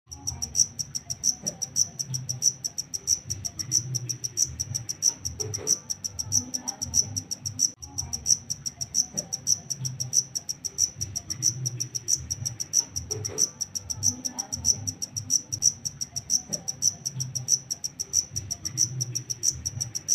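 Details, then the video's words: Wild-caught black cricket (takecit) chirping steadily: short, shrill, high-pitched pulsed chirps repeated about every two-thirds of a second for the whole stretch, over a soft low rumble with faint clicks and knocks. "Suara asli jangkrik hitam [TAKECIT] hasil tangkapan alam"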